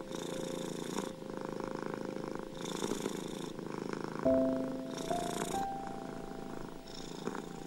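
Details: Steady purring of a domestic cat, a continuous pulsing rumble rising and easing in breath-length cycles, with gentle piano notes entering in the second half.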